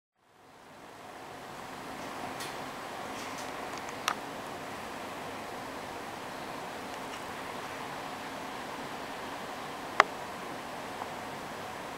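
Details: Steady fan-like room hiss with a few faint rustles and clicks.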